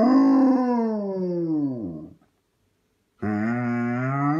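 A Basset Hound gives a long, mournful howl that slides downward, then starts another.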